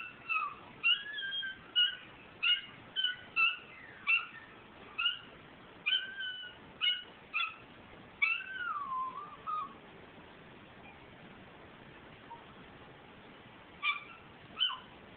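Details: A male Miniature Schnauzer sings along to Carrie Underwood's song "Undo It" on TV in short, high, wavering whines and yowls, as he does every time it plays.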